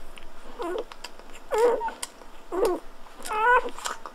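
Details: Newborn Golden Retriever puppy squeaking at birth, four short whining cries about one second apart, each a quick wavering squeal, quiet room between calls.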